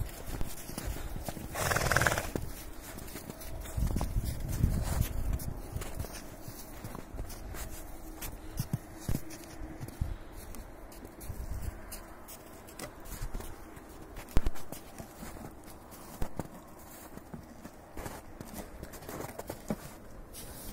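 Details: Stallion let out for a walk after standing idle, recognising the mares by their smell: one brief, loud neigh near the start, then scattered hoof clops and low rumbling outdoor noise for the rest.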